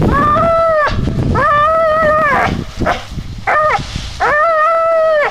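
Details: Vénus the American Staffordshire Terrier produces steady, held howling notes that start with an upward sweep and hold level, separated by a pause and a pair of quick clipped yelps.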